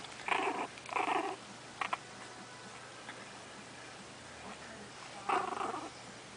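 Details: Playing puppies indoors giving short raspy growls, two close bursts at the start and another near the end, with a quiet background between.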